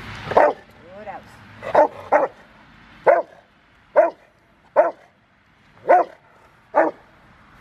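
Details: Five-year-old male Rottweiler River v Schwarzerwald during bite training on January 20, 2020, preparing for a ZTP trial on February 16; sharp single barks roughly once per second, with a handler's spoken command at the start.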